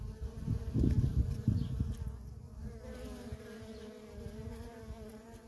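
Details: Worker honey bees in nonstop traffic at a feral colony: a steady, low droning hum with layered tones, louder in the first two seconds as bees pass close, with low rumbling thumps underneath.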